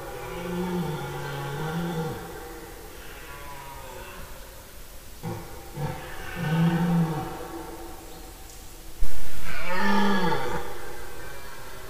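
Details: Red deer stags in the September 2018 rut, recorded 10–15 September in forest where they roared day and night. Three low, drawn-out moaning roars rise and fall, the last one loudest and closest, over a steady background hiss.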